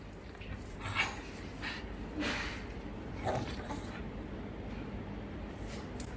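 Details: Simba, a hungry pet pug waiting indoors for his breakfast to cool, gives soft breathy snorts and short whiny sniffs at irregular intervals in a quiet small room.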